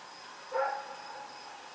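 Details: Single short bark from Rex, a dog running about in the night, recorded October 7, 2018; a brief harmonic burst followed by a fading tail and a constant faint hum.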